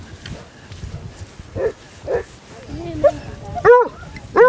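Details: Basset Hounds from a pack of 16 on a four-mile walk across Marlborough Downs, North Wiltshire, on 4 December 2016: a few soft yelps, then two loud, ringing barks near the end, with people talking and calling the dogs on.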